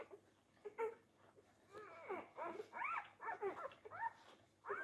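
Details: Labrador Retriever puppies, four days old, squabbling at the teats; short soft squeaks and arched whimpers come in small clusters over quiet room hiss, one rising yelp near the end.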